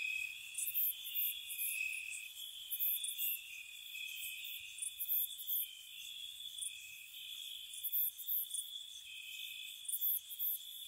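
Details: Gentle spring-night cricket chorus near a cottage, a continuous shrill trill that wavers between close pitches, with bright clusters of very high ticking pulses recurring about every two seconds over an otherwise quiet background.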